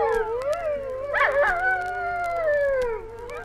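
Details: Dingoes howling in Australia, on a 1968 record of wildlife recordings: several overlapping long, wavering tonal howls sliding up and down together, with a brief higher yelping break in the middle.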